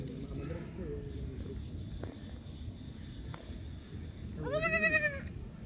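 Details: Baby goat calling: after several seconds of low rumbling background noise, a single loud, wavering, rich-toned bleat lasting under a second near the end.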